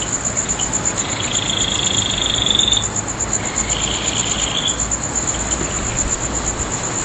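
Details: Late-night insect chorus beneath a full moon at Nagahama-cho, Naze, on Amami Oshima, Japan, in August 2011; a continuous high rapid pulsing tone, with a clearer sustained whistled trill rising in two stretches over steady background hiss.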